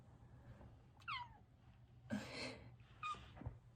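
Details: A Bengal cat hiding under a rug in a closet gives two short, high meows, the first sliding downward, with soft rustling between.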